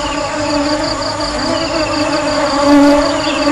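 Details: Honey bees buzzing in an unbroken, even drone: a deep hum with ringing overtones and a rapid, fluttering pulse in the upper layers. It grows a little louder toward the end.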